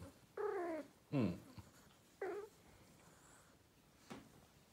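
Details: Persian cat chatting to its owner: a run of three short harmonic meows and chirps, one sliding downward, followed by a faint click, indoors.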